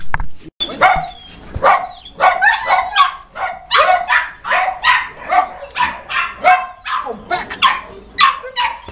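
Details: Boerboels at the Delatro Boerboels kennel on 30 October 2013 give a steady run of loud, sharp barks about three per second, overlapping voices suggesting more than one dog.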